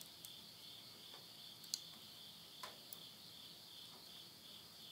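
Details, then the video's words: End-of-summer insect voices at midnight in rural Yurihama, Tottori, Japan, September 2020. A constant high ringing drone runs throughout, broken by several sharp pops and snaps from burning wood in a stove. "the voice of insects"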